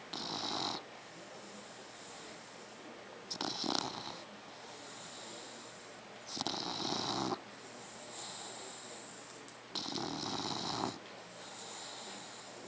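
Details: Dogue de Bordeaux puppy, three months old, asleep and snoring steadily. Four raspy, rumbling snores come roughly every three seconds, separated by airy whistling breaths out.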